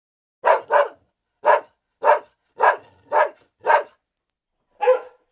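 A dog barks in short, sharp bursts, some coming in quick pairs, with brief pauses between.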